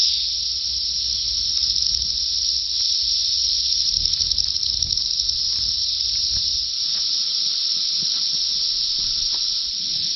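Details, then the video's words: Thousands of 17-year Brood X periodical cicadas calling for mates in the treetops of Big Bone Lick State Park, northern Kentucky, at peak emergence. They make an unbroken, piercing, shrill hiss-like chorus with slight pulsing throughout. "Screaming Cicadas at Big Bone Lick"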